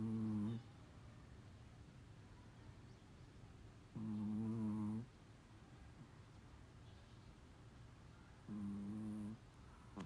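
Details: Daytime nap of Biisuke, a large Chihuahua, snoring steadily: three low, buzzy, rasping breaths about four seconds apart, each lasting under a second, with quiet room background between them.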